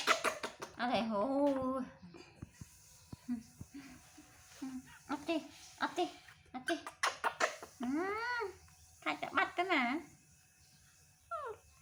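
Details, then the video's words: Baby monkey Toro calling to get his mother to comfort and hug him: arched, whining coos with rising-then-falling pitch, loudest near the end, mixed with bursts of people talking in a small indoor room. "Adorable Baby Monkey TORO Makes Sweet Sounds To Get His Mother To Comfort And Hug Him"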